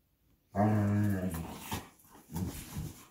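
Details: Belgian Malinois Bullet or Apollo in a tug-of-war game with a favorite toy; a sudden loud, tonal growl of under a second, then softer grumbling and rustle of the struggle.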